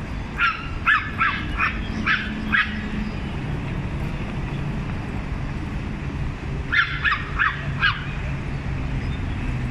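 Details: Small dogs taking turns barking at a larger dog: a run of about five high, clipped yaps in quick succession, a pause of several seconds with low background hum, then four more rapid yaps.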